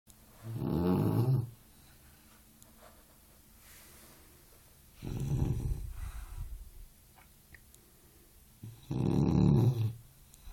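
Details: Sleeping Boxer puppy snoring indoors: three low, rough snores, each lasting about a second, spaced roughly four seconds apart, with quiet breathing between them.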